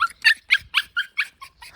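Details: Puppies born January 2021 to a small mixed-breed dog, three survivors enjoying spring at a grandmother's home in Seongsu-ri, Hongcheon County, Gangwon Province, South Korea; quick high squeaky yips, about seven in under two seconds, evenly spaced.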